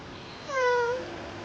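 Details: Baby kitten waking up from sleep indoors gives a short babbling sound: one soft, slightly falling tonal mew of under half a second, with quiet room background.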